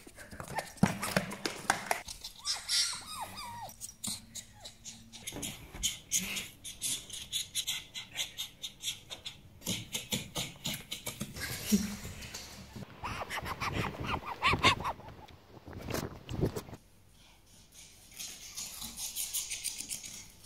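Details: Djinn, a pet fennec fox, chatters in fast, pulsing bursts of clicky yips, broken by brief whiny notes and short pauses, in a long, continuous run of vocal noises.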